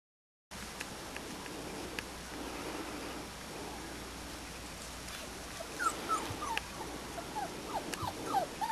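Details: Springer Spaniel puppies of the Desperado Y-litter, about four and a half weeks old, outdoors for the first time in their lives. Thin high whimpers and short yips bunch up in the latter half over a steady background hiss.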